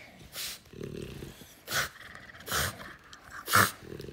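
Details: French Bulldog play fighting indoors: low rumbling growls broken by sharp, harsh bursts of snorting noise about once a second, with quieter breathy gaps between.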